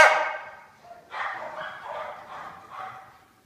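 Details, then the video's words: A pet dog, one of two, Pig and Joker, playing tag, gives a sharp bark followed by a wavering, drawn-out growling whine that fades away. "Our dogs play tag"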